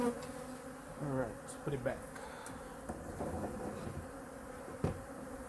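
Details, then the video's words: Honey bee colony in hive #2 during a winter inspection while food reserves are checked and fed: a steady, low droning hum with harmonics, broken by knocks and scrapes of hive handling around the first and second seconds and a sharp tap near the end. "Honey Bee Colony Inspection (WINTER) | Hive #2 Weekly 🐝 Checkup & Feeding"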